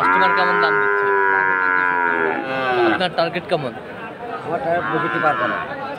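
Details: Friesian and crossbred bull calves at Aftabganj market, Dinajpur, Saturday 18 March: a strong, sustained moo lasting over two seconds, then choppy voices and a fainter second call amid market bustle.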